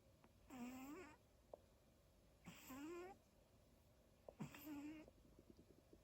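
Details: Daifuku the dog snoring indoors: three squeaky, whistling breaths, each about half a second long with a slowly rising tone, spaced roughly two seconds apart over a faint steady room hum.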